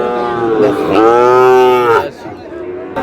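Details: Sahiwal bull calves being bought by a farmer from Natore: a loud, drawn-out harmonic moo lasting about a second, rising slightly then steady, preceded by a shorter lowing note, with men talking briefly afterward.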